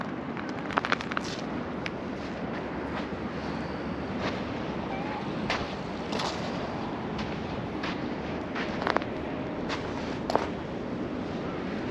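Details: Wind buffets the microphone on a sandy beach, with scattered thumps, crunchy footsteps and brief faint voices, and no animal calls.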